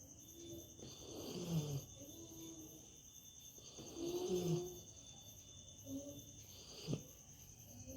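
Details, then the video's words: A comfortably sleeping dog gives two long, low, rough snores a few seconds apart, then a short fainter snort, with a constant high insect drone in the background. "Snoring dog"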